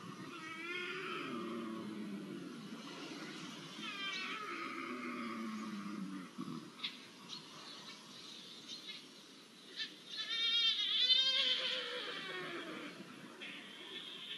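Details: Iberian lynxes mating, recorded 5 January 2024: drawn-out, wavering, harmonic wails, some low and moaning, others higher and strained, rising and falling over several seconds, swelling to a louder harsh burst near the end.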